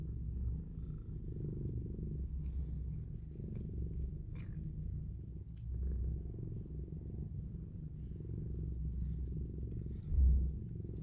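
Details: Mother cat purring steadily while cuddling and kissing her newborn kittens indoors; a deep, continuous low rumble throughout with soft rhythmic pulsing and a brief louder bump near the end.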